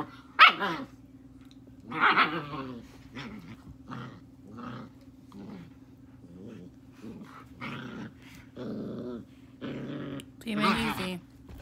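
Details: Playful German Shepherd puppy, a female, taking on her father during play: rough growls and snarling barks repeated in uneven bursts of about a second, some louder sharp barks, over a constant low hum indoors.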